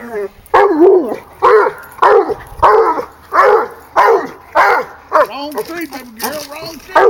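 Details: Female hound dog, 16 months old, baying at a treed raccoon outdoors: a steady run of eight loud, throaty bawls, each bending up then down, roughly every 0.6 seconds, ending with a higher whining yelp from a younger pup.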